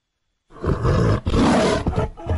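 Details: Lions in the Luangwa Valley, with the male feeding and playing with his family: after a half-second of silence a deep, rough, throaty roar comes in loud bursts with short breaks between them.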